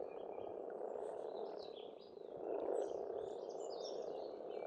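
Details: Many frogs croak together in spring at a pond in Estonia, making a continuous buzzing wall of sound that dips briefly and then surges louder, with songbirds twittering high above.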